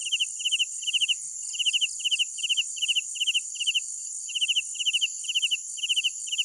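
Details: Crickets chirping at night: clear pulsed chirps of three to four notes repeated steadily about twice a second, over a continuous high shrill insect drone with fainter background chirping.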